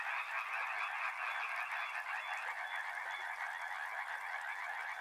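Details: Many frogs croak at once beside a river, a lower, rougher rattling chorus than usual, continuous and fairly uniform, with a short thin whistle-like tone standing out near the middle.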